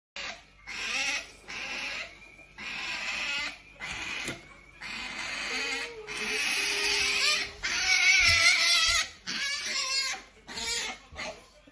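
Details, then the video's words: Qoo, a pet otter, hungry and making her funny yumyum noise: a series of high, harmonic whining bursts, some sustained and wavering, broken by short gaps in a small indoor room. "Princess Otter Qoo makes funny yumyum noise"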